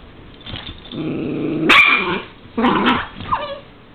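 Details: During courtship, a male Dachshund gives a drawn-out, nasal whine rising into a sudden sharp yelp, then another harsh whining bark, ending with a brief whimper that slides downward in pitch.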